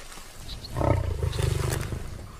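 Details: A male Asiatic lion (Panthera leo persica), one of the Kokra males, resting for the day in the Gir forest, gives a deep, rumbling roar that swells and holds for over a second.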